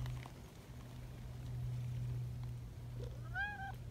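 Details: Community cats, a big black boss cat and a black-and-white cat, lined up to greet a visitor; one short meow near the end, rising then falling, over a steady low hum.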